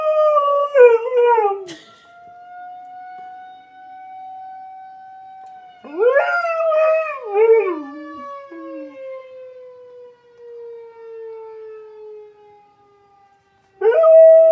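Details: Pet dog answering a tornado siren test with howls: wavering, falling howls at the start, mid-clip and end over a long steady siren tone that slowly drops in pitch.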